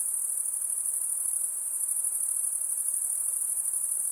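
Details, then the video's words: Insects beside a calm lake produce a steady, very high-pitched shimmering drone that holds constant throughout, with no other sounds. "Relaxing high pitched INSECT sounds"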